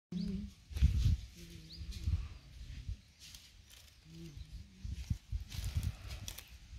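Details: Giant honey bees (Apis dorsata) at a large beehive give a low, steady droning hum, with bursts of rumbling noise around it.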